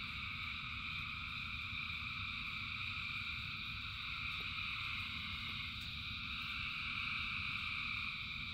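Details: Rain-soaked frog chorus of thousands of callers, a steady layered trilling hum that swells slightly toward the end, backed by a deep wash of rain.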